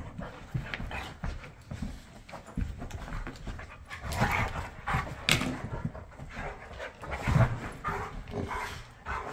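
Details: Playful wrestling between a Bernese mountain dog and an Aussie poodle husky mutt on a Monday morning, heard as dense low rumbling scuffles and panting, with sharper harsh vocal bursts, possibly short barks, near four to five and a half seconds.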